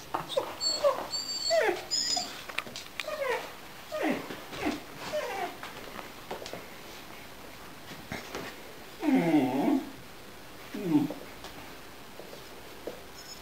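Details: Loki, a blue-eyed Gerberian Shepsky, reacting strongly to an orange squeaky basketbone toy indoors: high whining whimpers and yelps in bursts, with squeaks and louder strained cries near the ninth and eleventh seconds.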